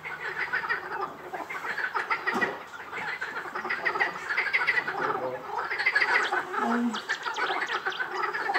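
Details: Frog chorus at Rainham Marshes: many overlapping croaking, rattling calls pulse densely and continuously, rising and falling in waves with brief lulls.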